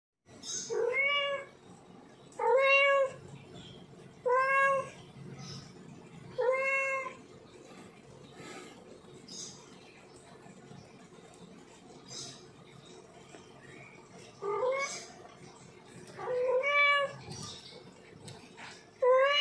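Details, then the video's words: Male domestic cat in heat calling to a female, giving long drawn-out harmonic meows that rise and then fall, repeated about every two seconds in two bursts separated by a quiet gap, with faint background hum. "Suara Kucing Jantan Birahi Panggil Kucing Betina"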